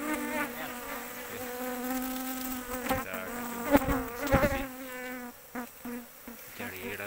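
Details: Dense swarm hum of Asian honey bees from a big colony discovered in an oil palm plantation while searching for the queen; strong droning buzz with rich stacked overtones, sharp knocks and passing bees, speech faint.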